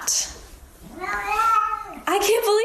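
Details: House cat meowing back at a person in a small room, one long falling-then-steady meow and a second rising, strained meow, with brief speech between.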